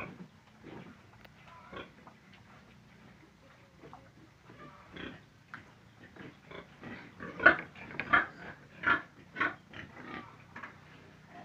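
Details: Pig giving a run of short grunts and squeals, quiet at first, then louder and denser in the second half with bursts about every half second, steady low hum behind.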